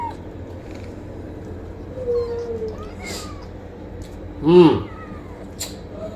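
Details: Domestic cat meowing: a short, level, tonal mew near two seconds, then a louder arching meow that rises and falls at about four and a half seconds, with faint clicks and a low steady background hum.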